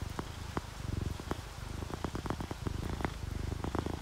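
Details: Relaxed sleeping domestic cats, a ginger tabby and a calico, purring: a soft low rumbling purr pulsing steadily, mixed with patter and drips of rain falling near a window.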